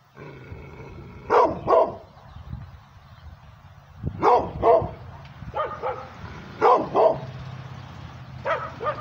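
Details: Pit bull crossed with Redbone Coonhound, a female dog barking aggressively at the camera held near her; short barks in pairs, separated by pauses of two to three seconds, over a low steady hum.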